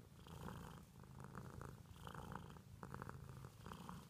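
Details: Domestic cat purring in a small room, a steady low rumbling drone with regular breathing pulses about every half second to second.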